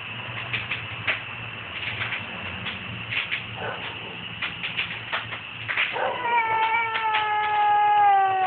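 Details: Domestic cat making strange noises, phone recording: a run of short clicking, chattering sounds for six seconds, then a long drawn-out wavering yowl with stacked harmonics that holds steady and slowly falls in pitch.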